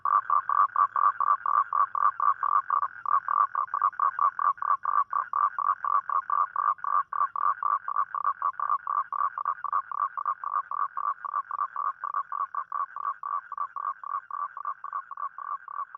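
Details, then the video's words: Rainy-night mating call of a toad after dark: a long, rapid, machine-like series of short croaking pulses, about four per second, holding an even pace and slowly fading slightly over sixteen seconds. "เสียงร้องคางคกตอนกลางคืน | The Sound Of Toad At Night"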